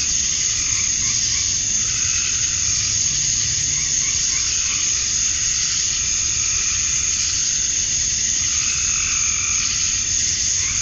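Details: On a summer evening at dusk in Georgia, USA, a chorus of male cicadas calling for females makes a steady, shrill, hissing drone, while lower pulsing trills rise and fall every few seconds.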